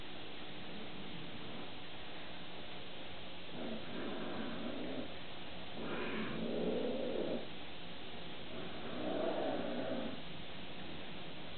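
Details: An angry Bengal cat growls in three separate low, throaty, rough, strained bursts, each swelling and fading over about a second, with a faint higher edge at the peak of the middle growl; finding: Bengal cat.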